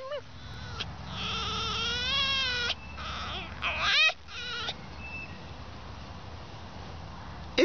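A fox gives high, wavering whines, one drawn out and a shorter rising cry after it.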